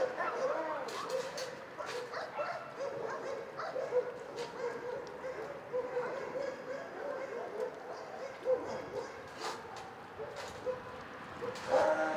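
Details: Shelter dogs barking in a crowded chorus, overlapping yips and barks with occasional whimpers and some human voices mixed into the background noise.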